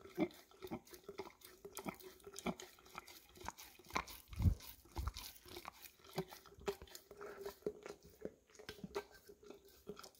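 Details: Indoors, an English cream Golden Retriever licks and chews at peanut butter left in an almost empty jar, captured on a Samsung Galaxy S10e; moist smacking, a few thudding crunches and clicks over a quiet hum.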